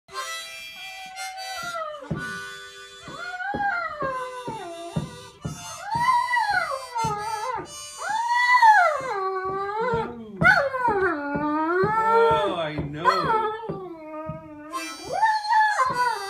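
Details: Great Dane; howl; howling in response to harmonica music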